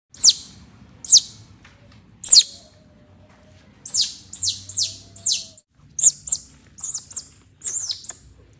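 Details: Baby pet otter following its mother cat, giving sharp, high squeaky chirps that sweep downward, about a dozen spaced irregularly, some in quick pairs and triplets, over a faint low background hum.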